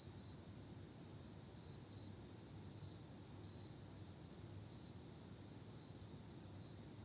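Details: On an autumn night, insects keep up a sustained, bright, high trill that wavers slightly in pitch but never pauses, over quiet low rumble.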